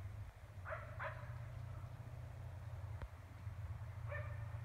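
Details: Neighbour's dog barking about 400 feet away at night in Emmett, Gem County, Idaho, 14 April 2020; a quick pair of distant barks, then a lone bark near the end, over a constant low rumble.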